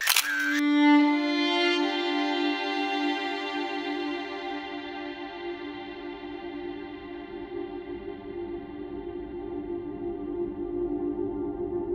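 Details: A sharp click opens a long, sustained bowed-string tone that hums steadily without any animal sound.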